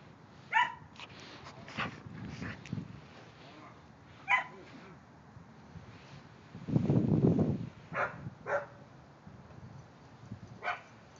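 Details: Kerry Blue Terriers Quinn and silver Keely at play with the neighbouring dog give scattered quick barks and yips, some doubled, with a deep rumbling burst in the middle and irregular pauses between calls.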